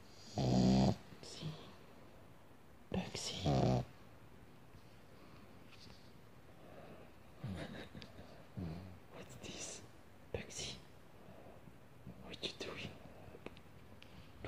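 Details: Pug dog asleep, giving two loud raspy snores at the start, about three seconds apart, followed by quieter breathing sounds and soft human speech in a small room.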